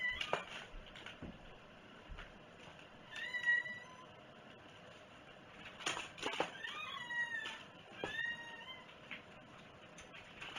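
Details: A cat at breakfast time gives short, wavering meows around three and a half seconds and again near seven and eight seconds, with soft household clatter between the calls.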